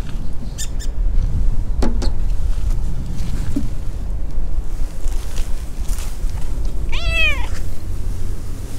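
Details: A tabby-and-white stray cat with a tipped ear, out in a park with a large pond and playing around a slide, gives one short wavering meow near the end, after a few soft knocks over a steady low outdoor rumble.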